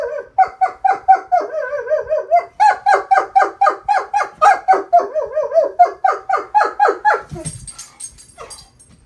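A Weimaraner howls in quick, wavering pulses, about four per second, in reply to sirens.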